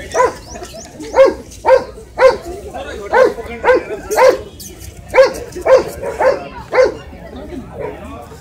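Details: Shih Tzu, a small dog, barking in a quick run of about a dozen sharp, high-pitched yaps, roughly one every half second, with short pauses between bursts.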